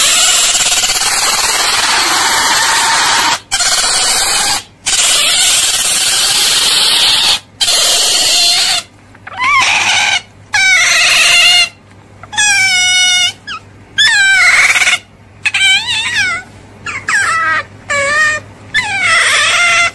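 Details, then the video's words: Otter giving long, harsh, harmonic-rich squealing screams for about nine seconds, then shorter wavering and rising-falling whining chirps with brief silent gaps between them. "Suara Berang - Berang"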